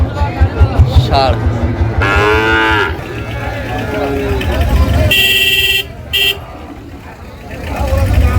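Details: Sahiwal bull calves being traded at Ambari market, Dinajpur, Bangladesh, first day of Ramadan 2025. A short moo followed by a fainter second one amid bargaining voices, then a loud vehicle horn sounding twice and crowd noise.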